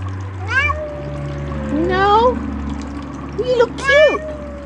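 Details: Bengal cats being readied for a Christmas card photo that did not go as planned; several drawn-out meows that rise then fall, spaced irregularly, with a person's voice and faint steady music underneath.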